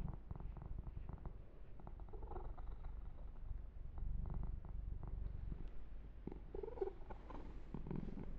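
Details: Low, rapid purring from Yumak, a young male kitten enjoying a massage and fur grooming, the rumble rising and falling in loudness, with faint rubbing and stroking sounds close by.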